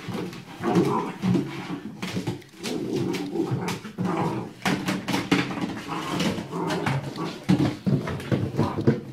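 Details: A 5-month-old Welsh Corgi Cardigan growls in low, rumbling bursts while wrestling with a bowl, with brief clatters and snuffles between them.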